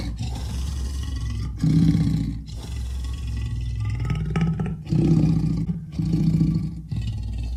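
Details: Low droning leopard growl, rising into several louder rough surges about once a second apart, sounding like a big engine idling.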